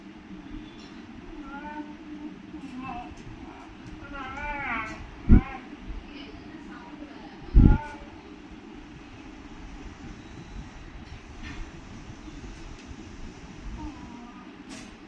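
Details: A playful beagle trying to pull in a rope makes odd, wobbling whines and yodel-like grumbles in quick rising and falling bursts over a low rumble, with two loud knocks midway.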